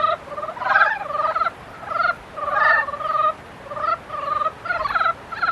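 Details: A dense run of frog calls during mating season: grating, pulsed croaks nearly continuous, overlapping voices swelling and pausing briefly about every second.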